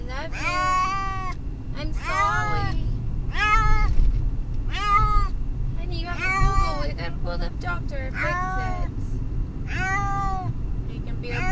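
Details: Brutus the Beefcake, a house cat riding to the vet, meows over and over in arched, harmonic cries about every one and a half seconds, mixed with human voice and low vehicle rumble.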